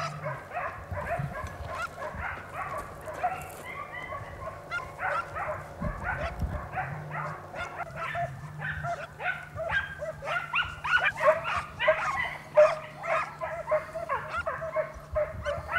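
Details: A pack of Segugio Italiano hounds in hot pursuit of a hare in the Vignone, Italy: a continuous, dense chorus of overlapping yelping bays from several dogs, with a low hum underneath.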